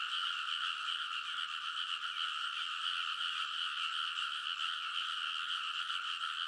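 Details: Many frogs calling together on paddy-field banks at Kōnosu, Saitama, Japan, late at night in early summer; TASCAM Portacapture X8 recording of a continuous, throbbing chorus of high rattling croaks, steady in loudness throughout.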